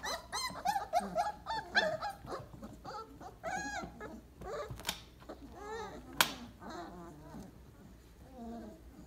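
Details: Weimaraner pups at day 28 settling into a heap after their breakfast. Soft, wavering whimpers and thin squeaks come in bursts, fading toward the end, with a faint human voice and a brief knock in the background.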